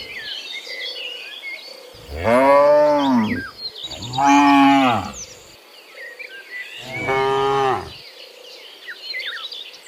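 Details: In the morning, cows returning from the field to the barn give three long, low moos, each rising then falling, with birds chirping and insects trilling behind.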